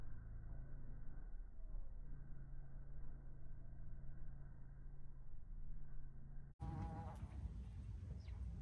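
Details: Bumblebee queens, a tree bumblebee and an earth bumblebee, settling into garden nest boxes: a low, steady droning hum with faint harmonics, then an abrupt shift to louder rustling and handling noise near the end.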